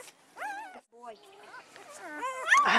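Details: Newborn Great Pyredane puppies from a spring 2016 litter, sired by a blue Great Dane, squeak and whimper in thin, arched, rising-and-falling whines, several overlapping, while a person counts the pups nearby.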